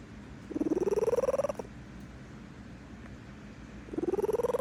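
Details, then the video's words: Contented cat purring while she sleeps: a strong vibrating purr bout of about a second, climbing slightly in pitch, a quiet pause, then the next bout beginning. "This is what a content sleeping cat sounds like. Purring in her sleep."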